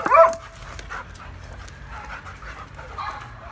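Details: Tiffany and Thunder, a German Shepherd and a Doberman meeting for the first time, turn friendly. A sharp, high whine opens with a quick falling tail, followed by soft shuffling and faint panting.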